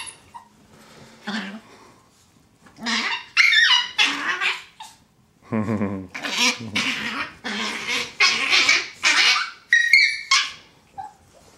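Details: Two Chihuahuas, Lily (brown) and Kai, called Kaiser (black), play fighting on a bed made into an arena: harsh, raspy snarling barks and growls in irregular bursts, with a person cheering them on and laughing.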